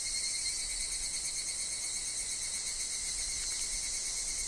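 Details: Short stretch of evening cicada (higurashi) song in woodland, a loud, even, high-pitched shimmer with a steady thin tone below and soft low wind noise.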